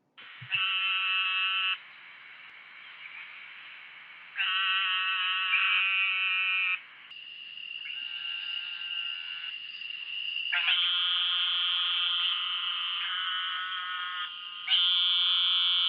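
A small toad gives long, nasal, buzzy bleats, much like a sheep's baa, one after another.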